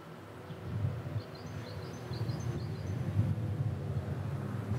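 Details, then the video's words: Bees feeding on nectar among almond tree blossom on a warm early spring day; a low, rough buzzing hum swells and grows louder across the clip, with faint high bird chirps twittering above. "Almond Tree Blossom - Bees on Spring Day"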